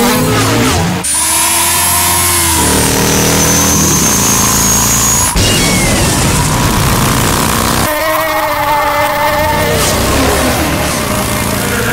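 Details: Roaring engines and racing vehicles with music, tonal whines sweeping across the recording; no animal voice present.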